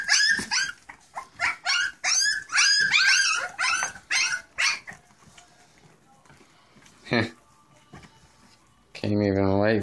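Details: Litter of English Springer Spaniel puppies at feeding time on puppy mash, letting out a rapid burst of sharp, harmonic yelps and squeals for about five seconds, then quieter stretches, a woman's voice and a sustained low tone at the end.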